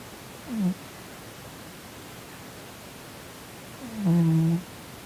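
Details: Male Korean shorthair cat Sonny snoring in his sleep while twitching, possibly from a nightmare; a short low snort, then a longer, louder, harmonic-rich snore about three seconds later, indoors.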